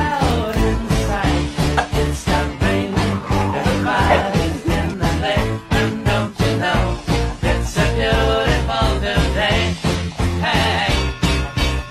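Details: Loud, upbeat ska-style band music with singing and a strong repeating beat runs throughout, with no animal sound audible.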